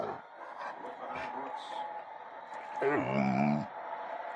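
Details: Tua, a male pet Bullmastiff, talks and whines because he wants to eat: after faint soft sounds, one wavering, vocal whine of under a second dips and then holds steady before stopping, over a quiet indoor hum.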